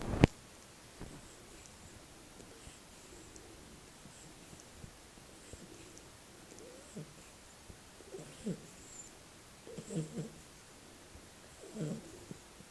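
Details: Berry, a Shar-pei puppy, snores softly while asleep indoors: low, breathy rasping bursts that return roughly every one and a half to two seconds and grow a little louder toward the end, over a faint quiet room hiss.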